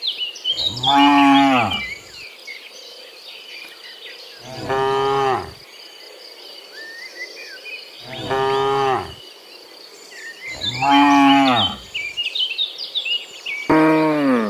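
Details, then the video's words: Dozens of cows heading home from the fields to their pen in the afternoon; five loud drawn-out moos, roughly every three seconds, over a steady high insect buzz and scattered bird chirps. "Sound Dozens of Moo Cows Walking Home from the Fields to the Pen in the Afternoon, Sound of Cows"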